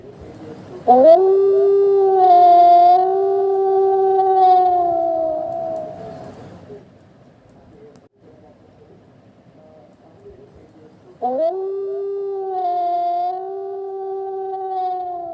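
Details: At night in a forest, a wolf gives long, steady howls that rise quickly, hold a mournful tone, then fade.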